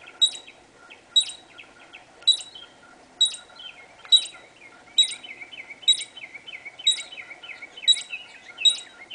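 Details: A squirrel in a backyard, recorded through a sliding door screen, gives sharp, high chirping calls, repeated about once a second in a steady series.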